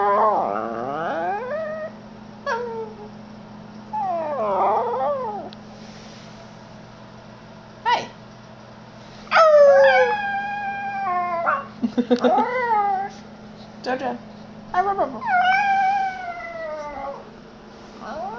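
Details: An almost seven-year-old male Yorkshire Terrier howls when people howl or make weird noises. Several wavering howls rise and fall in bouts separated by short pauses, over a steady low hum.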